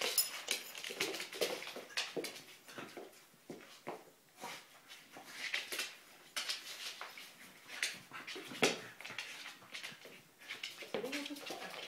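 Kelpie border collie puppies give sharp yips, whimpers and scuffling sounds during rough play.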